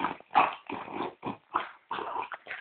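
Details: Snoring pet French bulldog that pretends to sleep until offered a cookie. Rapid, rasping snorts repeat roughly every third to half second, each a harsh, breathy rumble, some sounding wet and snuffling.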